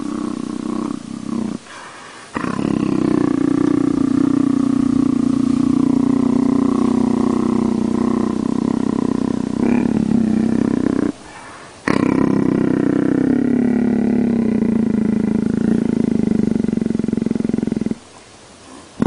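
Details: Leopard purring: a steady, low, droning rumble with rich overtones, held for long stretches and broken by a few short pauses.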